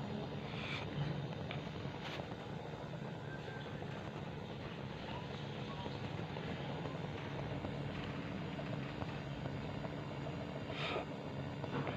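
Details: A steady engine-like rumble with a few faint knocks, and no animal voice.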